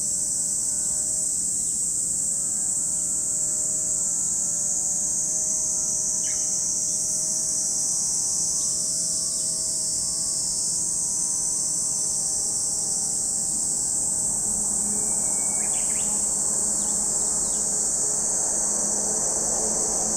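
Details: Cicada chorus at Lake Kamo, Sado City, Niigata Prefecture, Japan: a constant shrill, high buzzing drone, with a faint engine-like hum and brief ticking noises partway through.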